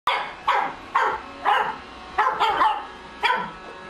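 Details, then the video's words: A female pug puppy, seeing a Roomba for the first time, gives a run of short, sharp, yappy barks, about two each second, while the robot vacuum works. "Pug Puppy Barking while Roomba Working"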